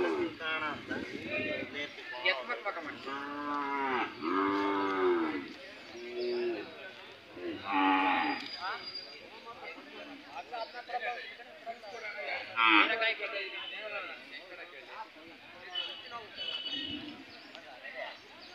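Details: Hallikar cattle at the Chelur cattle fair in India, with several short, rising-and-falling moos early on, mixed into constant men's talk about prices and a busy crowd.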